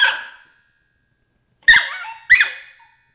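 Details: Emily, a 13-week-old Border Collie puppy in crate training, lets out a trailing squeal followed, after a pause, by two sharp, high yelps that drop in pitch.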